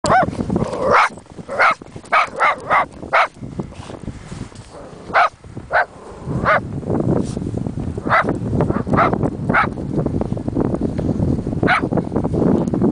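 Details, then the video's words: Chihuahua outdoors in snow in January 2010, barking after spotting something, likely a distant snowman; a rarely barking dog giving sharp high yappy barks in quick bursts, with rustling and background noise between. "zoe barking jan 2010"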